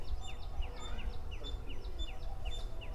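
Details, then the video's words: Squirrels, many of them, around the Sasivekalu Ganesha temple in Hampi, giving a rapid series of short, high, downward-sweeping chirps repeated roughly every quarter second, with low background rumble. "तुम्हाला मी ज्या आवाजाबद्दल आत्ता बोललो तो खारुताईचा आवाज आहे."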